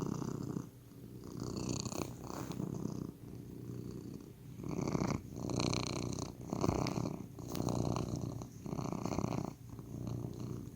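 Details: House cat purring near the microphone, rumbling bursts rising and fading in a breathing rhythm of roughly one cycle per second, each burst throaty and vibrating.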